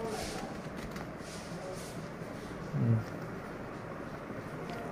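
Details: Steady outdoor background noise from traffic and distant voices, with one brief low thump near three seconds.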